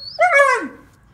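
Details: A Siberian Husky pup talks back when asked to come inside, giving one short, whining, howl-like vocalization that rises quickly, holds briefly, then slides down. A faint high tone comes just before it.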